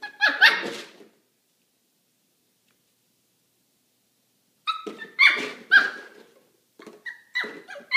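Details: Young Maltipoo playing with a milk jug it does not like, letting out one quick yap, a long quiet gap, then a cluster of shrill, strained barks and yips near the end.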